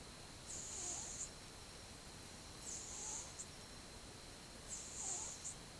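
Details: Dozing cat aged twelve months, recorded 8 October 2015, breathing in soft hissing snores, three long airy breaths spaced about two seconds apart over a faint steady background hum.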